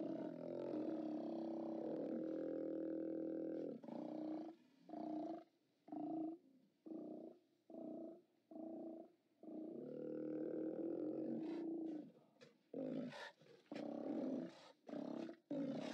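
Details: Steller sea lions at a haulout, live camera recording from 29 October 2017: a long droning roar of nearly four seconds, then a string of short guttural bellows about once per second, another long roar, and quick choppy barks.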